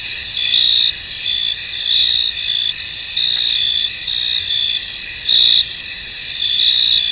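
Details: Cricket chorus from a misty field: constant high, thin trilling overlaid by irregular louder chirp bursts, close to one per second, with nothing else clearly audible.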